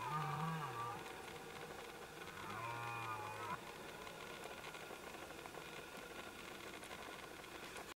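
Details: A red deer stag gives two deep, harmonic rutting roars, the second longer and more drawn out, during the 2014 rut in Knyszyn Forest, Poland.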